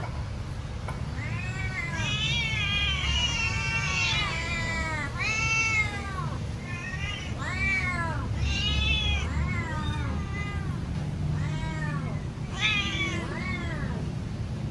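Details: Pet cat waiting impatiently for its food, meowing loudly and insistently: a rapid run of short arched meows, several per second at times, some overlapping, with a constant low rumble underneath.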